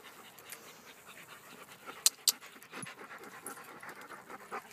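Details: Beauceron dogs from a small pack out on a forest walk, heard panting steadily with quick breathy rasps, two sharp clicks or knocks near the middle, leaves and movement in the background.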